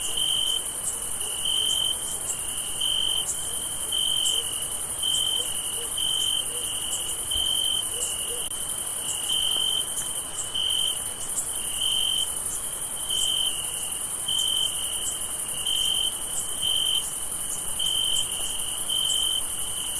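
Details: Crickets chirp steadily on a summer night, a high, pulsing trill repeated in an even, unbroken chorus.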